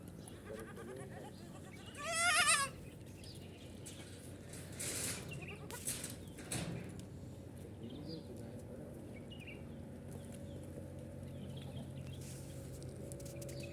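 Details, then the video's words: Baby goats, ten of them, drinking milk; a single short, strained, quavering bleat early on, then rustling, soft knocks and muffled movement over a steady low hum. "10 BABY GOATS DRINKING MILK | RELAXING SOUNDS."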